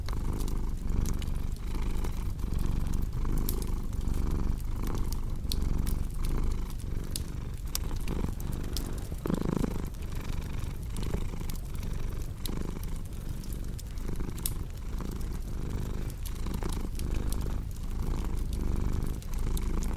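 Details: Continuous low purr from a cat, its rhythmic rumble rising and falling with each breath, set against frequent crackling and popping from a cozy fireplace.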